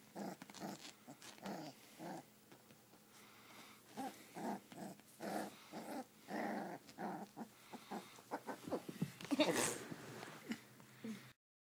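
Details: Five-week-old sheepadoodle puppy play fighting inside, a long stretch of soft, rapid growls and snuffly bursts, uneven in rhythm, with a brief louder scuffle near the end before silence.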